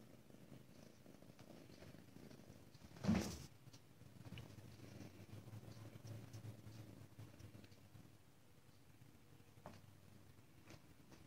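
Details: ['Ragdoll kitten at a home cattery in central Kansas, raised indoors without cages, giving a soft, low continuous purr. A single loud thump interrupts it near the third second, then the quiet rumble carries on with faint handling sounds.']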